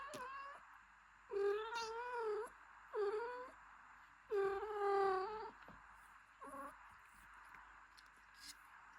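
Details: Mother cat gently caring for her newborn kitten, cleaning and warming it; a few drawn-out, wavering harmonic meows about a second long, separated by short pauses, then a couple of brief, softer calls over a quiet background.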